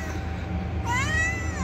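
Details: Mother cat returning to her three kittens in their little house, mewing as if warning not to touch her young: a single drawn-out harmonic meow rising then falling, after faint chirping and a steady low hum.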